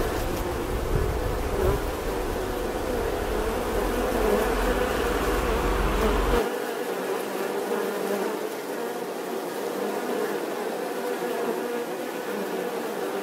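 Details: Droning bee buzz, even and continuous, over a deep background rumble that stops sharply after about six seconds, leaving the plain hum, which softens slightly afterward.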